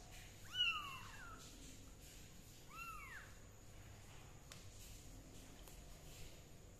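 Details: A kitten being treated for fungus with leaf juice lets out a loud, high, bending meow, then a second softer arched meow about two seconds later, against a quiet hissy background with a faint click.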